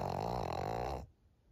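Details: Senior fawn female pug Maria, aged thirteen, in Japan in June 2023. One loud, buzzy, rattling snore lasts about a second and cuts off abruptly into near silence.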